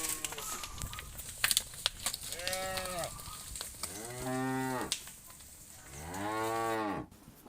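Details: Cattle in a big herd moving toward the farm pen in the afternoon, calling to others; three rising-then-falling harmonic moos, each longer and louder, over clicks and rustling.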